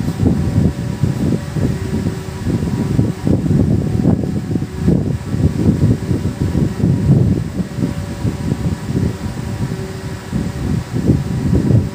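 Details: Steady low rumbling noise like a fan or air conditioner fills the room, with no animal voice heard.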